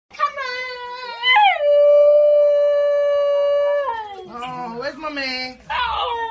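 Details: A Basenji, which cannot bark, converses with its family in a drawn-out, wavering yodel that rises and falls, with a person's voice answering afterward.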